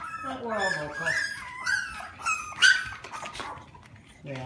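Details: Klee Kai and Shiba Inu cross puppies, four weeks old, all vocal together. High, wavering whines and squeaky yelps rise and fall and overlap for several seconds, with a woman's voice talking softly among them.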